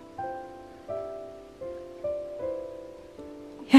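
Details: Soft piano chords struck roughly every three quarters of a second, ending in a sudden loud burst of noise, with no animal voice.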